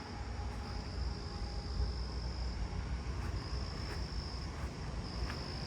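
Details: At night on 29 July in a backyard and neighbourhood with many crickets, a southeastern field cricket sings a steady, high, buzzing trill over a low background rumble.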